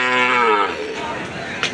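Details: Calf at the Aricha cattle market: a single harmonic moo lasting under a second, level then slightly falling, followed by market chatter and a brief knock near the end.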